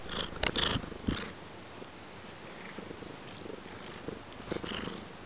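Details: Harlequin-patterned domestic cat purring while snuggling, a close, rough, rhythmic purr with scattered rustles and soft clicks in a small indoor room.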